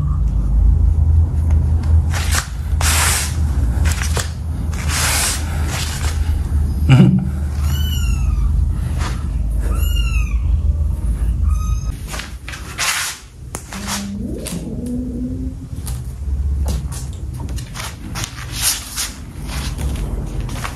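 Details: Kittens playing with a rope indoors give a run of short, high, arching mews, several in quick succession mid-clip, surrounded by scratching, thumping and rustling from the play, with a steady low hum underneath.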